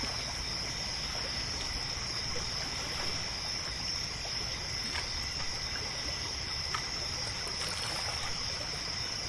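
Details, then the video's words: Crickets chirping at night at a lake, a steady piercing trill with no pauses, accompanied by continuous trickling water and scattered faint clicks and taps. "Lake Sounds at Night | Crickets, Nature Sounds"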